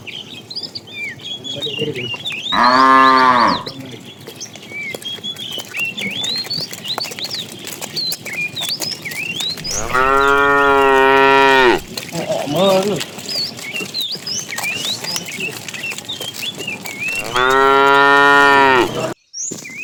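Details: In the morning, a herd of tame cows roams looking for food, giving three long, deep, harmonically rich moos against a steady chorus of twittering birds.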